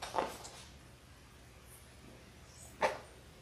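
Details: Six-week-old Labrador Retriever puppies from a litter of six born January 18, 2022, filmed indoors on February 28: two short, sharp yips about two and a half seconds apart, with a low steady hum and quiet room between them.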